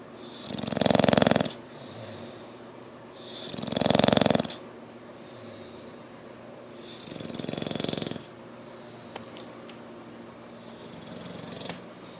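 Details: An English Bulldog snores heavily, as it regularly does, each breath a long, raspy rumble with a rattling, wheezy edge, in slow, steady cycles about three seconds apart, fading slightly toward the end in a quiet room.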